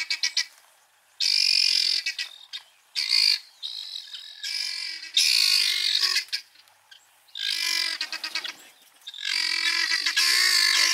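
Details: Three wild male cheetahs of the Fast Five coalition in Kenya's Maasai Mara, February, during a very rainy season, separated by a river and calling for two missing coalition members; loud, harmonic, chirping calls in bursts of one to two seconds, separated by short pauses.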